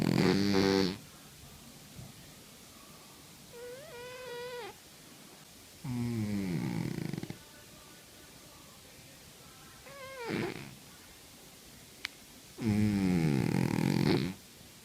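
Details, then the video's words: Domestic cat asleep, snoring with loud ragged breaths spaced a few seconds apart, interleaved with short rising whistly nasal squeaks between them; one sharp click midway. "50 shades of snoring Cats"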